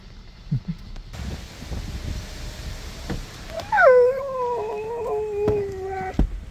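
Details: Siberian Husky named Sherpa whining with excitement at a surprise visitor; after quiet rustling, a loud falling whine drops into a long wavering tone around mid-pitch, with a few sharp knocks and light background noise.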